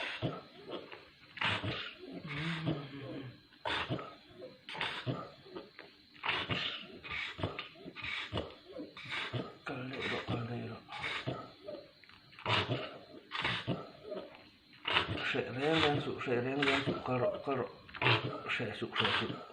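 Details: Pit Bull named Dora, ill with parvo, her death noted. Strained whimpering cries come in short bursts about once a second, with wavering, moan-like tones toward the end, indoors in a small room.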